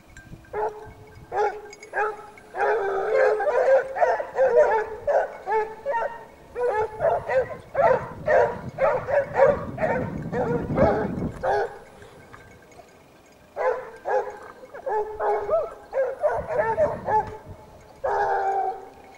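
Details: Pack of Basset Hounds from the French Rallye de l'Allagnon affix following a scent trail, a dense chorus of overlapping bays and yelps, rapid and irregular, pausing briefly before resuming.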